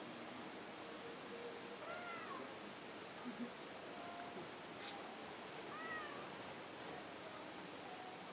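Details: Stray cat stuck in a hollow at a shrine where many cats gathered: two faint, drawn-out meows about four seconds apart, each rising then falling, under a steady hiss of background noise.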